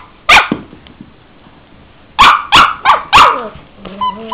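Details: Cavalier King Charles Spaniel named Henry gives one sharp bark, falls silent, then fires off four quick yaps in a row before a faint, high whine trails off.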